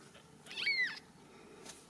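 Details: Young Ragdoll kitten in a home cattery in central Kansas, giving a single brief high mew that arches up and falls away, amid quiet room sound and a woman speaking nearby.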